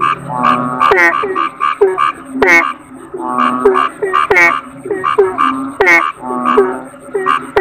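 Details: Kodok bangkong, the Asian common toad, croaking in a dense chorus: sharp, harmonic calls that drop quickly in pitch overlap with lower, nasal croaks several times a second. A faint steady high whine runs throughout.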